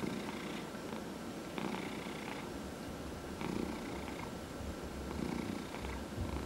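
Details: Domestic cat purring under massage indoors, one of four cats including senior shelter cats; deep rumbling purr with stronger low pulses and bursts of stroking noise every second or two.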